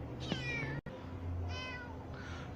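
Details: Kitten with one eye swollen shut, being coaxed into a trap with salami so its eye can be treated with drops and cream. Two faint, drawn-out harmonic meows, the second higher and steadier, over a low steady hum.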